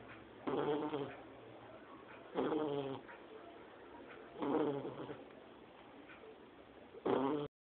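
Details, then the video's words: Sleeping Shar Pei puppy, two months old, giving four loud, rasping, rattly snores about two seconds apart, each one short and harsh, separated by quiet, breathy pauses. "Shar Pei filhote roncando"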